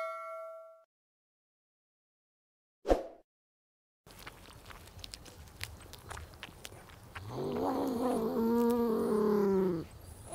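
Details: Beaver whining: after a brief chime and a thump, a steady noisy background gives way to a drawn-out, nasal, harmonic whine that wavers slightly in pitch for about three seconds.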